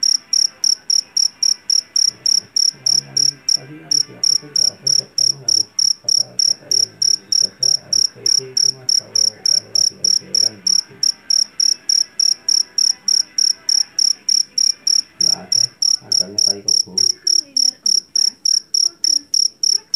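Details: Rice-field cricket from Java, the jangkrik jeliteng famed for its piercing voice, chirping in a long, even train of bright high pulses roughly three per second over twenty seconds, with soft murmuring background noise.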